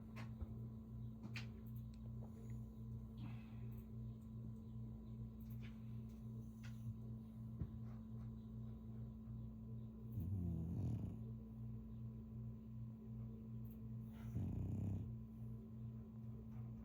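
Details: A sleeping French Bulldog snores with two rough, low, drawn-out breaths about four seconds apart, set against a steady, rhythmic low pulsing background hum indoors.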